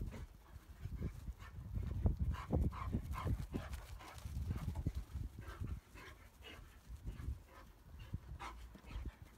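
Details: Irish Wolfhound mother with her puppies, 2022; soft low whimpering and snuffling bursts come in quick irregular succession, several per second, with brief brighter yelps rising above the murmur.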